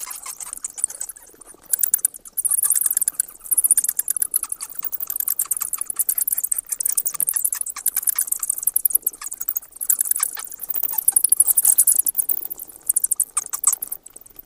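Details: Sparse high squeaks open, then from about two seconds a bat keeps up near-continuous dense, shrill chittering, a steady stream of rapid clicks to the end.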